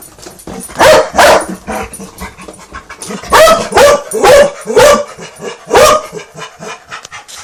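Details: Dog vocalising loudly while arguing with a vacuum cleaner, giving about eight harsh, bark-like bursts in quick, irregular succession, several in close pairs, with softer grumbling sounds in between.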